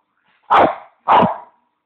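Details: Male pet Bichon demanding his bone, voicing two clipped, hoarse barks roughly 0.6 seconds apart, each sharp-edged and quickly fading, with a silent room otherwise.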